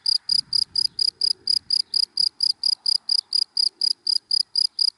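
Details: In dry grass by day, a cricket repeats crisp high-pitched chirps about four times per second in an unbroken steady series; a soft low murmur sits far behind.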